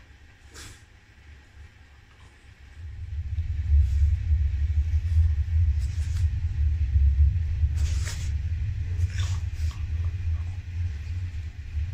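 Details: A low rumbling hum that grows louder after three seconds, with occasional clicks and knocks and no animal sounds.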